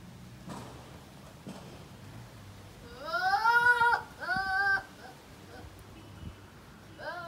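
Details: Male goats bleating: two loud, harmonically rich, wavering calls in quick succession, the first about a second long and the second shorter, after a stretch of low background hum, and a brief third call begins at the end.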